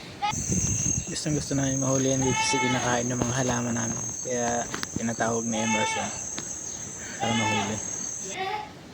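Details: Goat bleating several times, wavering, nasal cries with a steady high insect whine underneath throughout and faint voices in the background.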